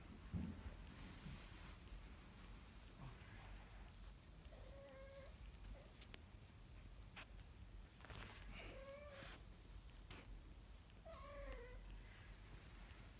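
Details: A kitten learning to walk gives three thin, high mews, each with a brief rise and fall, spaced about three seconds apart, over steady background hiss and a few soft knocks.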